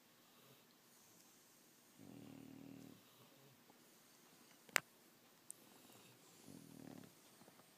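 An English Bulldog snores in slow, raspy rumbles about four seconds apart, with quiet breathing between.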